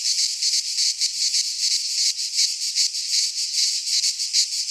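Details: Cicadas singing in midsummer in a Greek pine forest: a dense, high buzzing chorus pulsing rapidly, about three pulses per second, continuous throughout with no other sounds.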